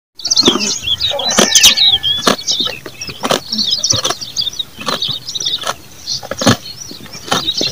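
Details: A goat chews noisily while eating, with crisp crunching bites and small birds chirping in the background.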